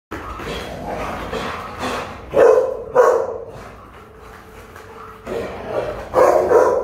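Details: Afghan Hound, a dog model named Force, barking in loud separate bursts at irregular intervals, as if reacting to something passing by.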